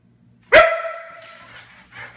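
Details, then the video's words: A dog gives one sharp, loud bark with a strong harmonic stack, which fades quickly into a soft room tail, followed by faint low shuffling. "Dog Barking Once"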